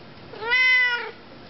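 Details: A female Siamese cat named in the recording, described as very chatty, gives one clear, drawn-out meow that rises then falls in pitch while being asked what she wants; Siamese cat.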